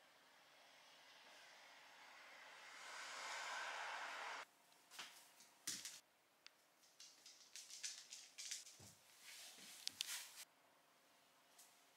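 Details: A quiet indoor hiss fades out, then scattered soft clicks, knocks and rustles follow with no animal voice.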